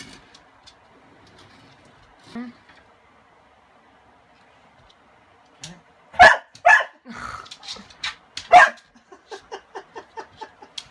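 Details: Kasa, a dog frightened of a broom that covers his toy, is quiet at first, then lets out a burst of several loud, harsh barks followed by a quick run of softer, clipped yips.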